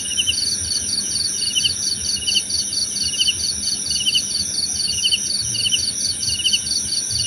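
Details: Crickets for sleep and meditation, with fast high pulsed chirps in regular bursts, a lower second chirper joining intermittently, and continuous piercing insect hums behind them.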